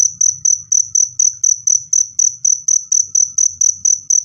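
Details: Cricket chirps used to drive away rats, loud and clear: a steady series of high, sharp pulsed chirps about four per second throughout, with a soft low rumble underneath.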